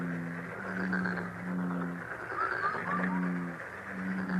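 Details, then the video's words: Frogs giving low, steady, droning calls, each held for about half a second to a second and repeated in overlapping bursts, with faint short upward chirps higher above. "행운 개구리소리 The sound of a lucky frog"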